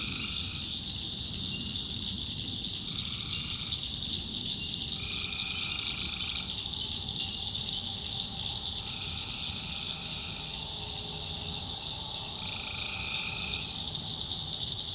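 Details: Tree frogs at night in a North Carolina swamp: five or six level, droning calls about a second long come every two to three seconds. A loud, continuous high insect chorus and a low rumble run beneath.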